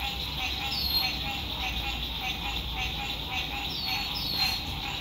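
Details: Lakeside frog chorus at sunset, spring 2021, RV campground in good weather: an unbroken, throbbing wall of many frogs, with a few thin, high, downward-sliding bird whistles cutting in and a soft low background rumble.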